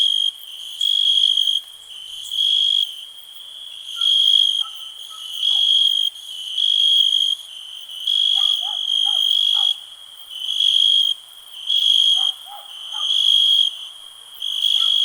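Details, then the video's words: Rhythmic cricket chirping, loud high trills in bursts of about a second separated by short pauses, over faint, lower, quick chirping notes in the background. "cricket relax"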